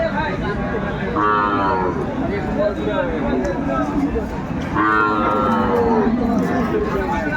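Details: Sahiwal cows and calves at the Aftabganj market in Dinajpur, 14 December 2024: two short, high, bawling moos about three and a half seconds apart, over busy crowd noise and chatter.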